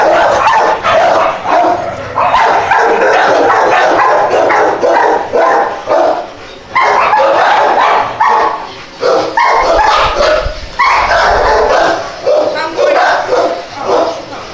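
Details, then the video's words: ['Several dogs barking and yipping at once, a dense, overlapping chorus of sharp high barks that runs almost without pause, with short dips between bursts.'] "The cutest dogs barking"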